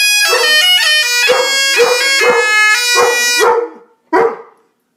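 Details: Dog barking to the sound of bagpipes: sharp barks come about twice a second beneath loud, droning bagpipe music, which cuts out after three and a half seconds, leaving one last bark alone.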